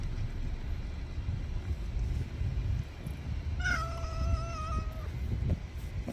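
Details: Stray cat meowing while eating kibble: one drawn-out, tonal meow of about a second and a half that bends briefly at the start and then holds steady, over a low rumble of outdoor background noise.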